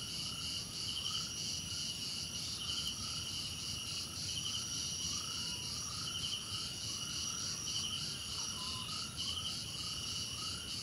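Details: Many crickets trill at once in bright, unbroken high bands with a gently throbbing pulse. Short upward-sweeping chirps repeat at a lower pitch throughout, over a low, constant noise floor.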